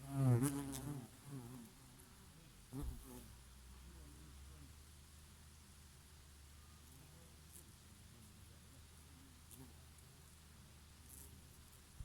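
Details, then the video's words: Summer scene of bees working oregano blossoms. A strong, harmonic buzz sweeps past at the start, a shorter one returns near three seconds, then a low steady background hum with quiet breeze. "Peaceful sound of the summer breeze and of the Bees and here and there a bumblebee"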